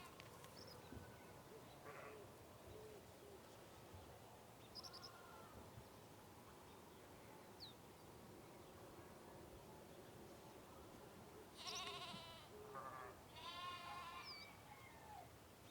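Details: Sheep on a farm in the morning give two wavering, nasal bleats over a quiet farmyard hum with faint bird chirps.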